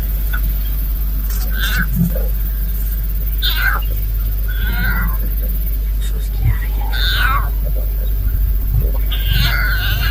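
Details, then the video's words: Hungry lion cub in Kenya's Maasai Mara keeps meowing at a lioness for food: about five high, wavering, downslurred mews spread across ten seconds, over a steady low rumble like an idling engine. "Hungry Little Lion Cub Keeps Meowing at Lioness"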